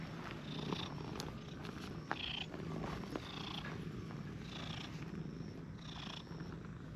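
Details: Steady low rumbling purr from stray cats in a park, an affectionate brown-and-white cat being played with while a fat brown tabby comes close; faint high chirping sounds drift above the purr throughout.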